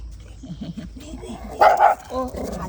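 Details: Dog out on a walk, one of a mother-and-daughter pair named Bom and Dallae, gives a single loud, harsh bark after soft murmured human speech, then a shorter lower vocal sound as voices continue nearby.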